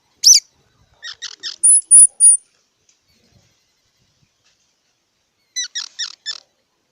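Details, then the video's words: Squirrel calling: a sharp high squeak, a quick burst of three short chirps, then three thin high whistles, a pause, and another four-note chirp series. Quiet background. "សំលេងដង្ហែន Squirrel 🐿️ Sound"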